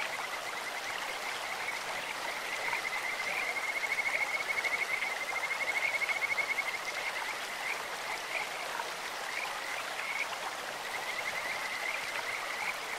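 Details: Kajika frogs calling in a clear mountain stream in Japan: a high, sweet, bird-like trill of rapid pulsed notes swelling through the middle, with steady rushing water beneath throughout.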